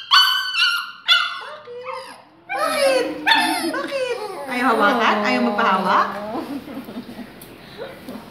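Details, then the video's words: Aspin, two years old, struggling and crying from the pain of a vaccination shot, August 2017: sharp harmonic yelps followed by long, strained, wavering howling whines, overlapped by Filipino speech from the people handling her. "Dog Cries From Vaccination"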